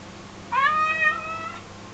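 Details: An American Curl cat begging for chicken gives a single drawn-out meow, about a second long, that rises sharply, then slides down and fades in a quiet room.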